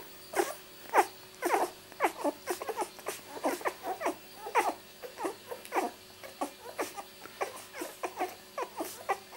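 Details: Miniature Labradoodle puppies aged two weeks, born 31 July 2009 to Rosie, squeaking and whimpering in quick uneven bursts, roughly a hundred short cries a minute, indoors in a small room.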